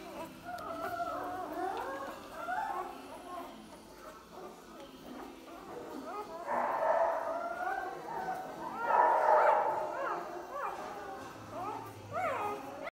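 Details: Litter of three-day-old Belgian Malinois puppies, ten in all, born 16 June 2018, squeaking with many short, repeated falling whimpers that swell in louder clusters, a human voice also present.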